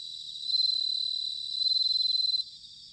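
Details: Autumn bell cricket song from Sanuki in Chiba Prefecture, Japan: two bright, pulsing ringing trills, each around a second long, over a constant background chorus of insects.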